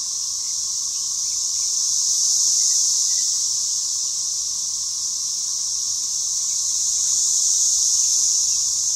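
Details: A deafening spring 2015 cicada invasion fills a front and back yard with a dense, unbroken high whine that swells and eases slightly in loudness, with a faint steady tone lower down.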